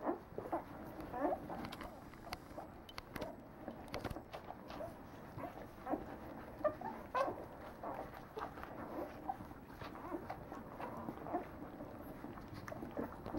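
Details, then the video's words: Nine-day-old Leonberger puppies in a litter give a steady overlapping chorus of soft squeaks and whimpers, short mid-pitched cries tumbling over each other with faint rustling beneath. "Léonbergs 9 jours"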